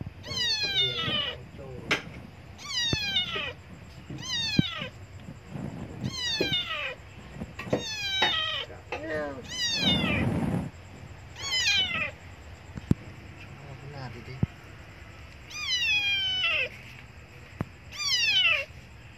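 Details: Abandoned kitten crying loudly for milk: a run of high, falling meows repeated about once a second, each sliding down sharply, with pauses and a burst of low rumbling noise near the middle; faint human voice and background sounds.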